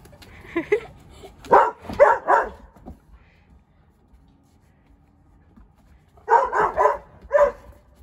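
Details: Australian Shepherd, a 25 kg medium-sized dog kept as a pet, barking in a home where its loudness is being measured; two bursts of three to four sharp, mid-pitched barks separated by a quiet pause.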